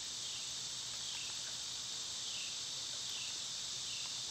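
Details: Summer cicadas in full chorus, a loud, sizzling high drone that slowly swells and sags in gentle waves.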